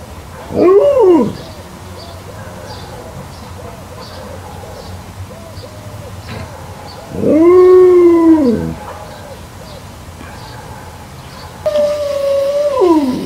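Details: Alaskan Malamutes Lila and Rumo playing with a DIY garden-hose sprinkler in a garden during a brief summer heatwave; three drawn-out, arching howls rise and fall, each lasting about one to two seconds, with quiet background hiss between them.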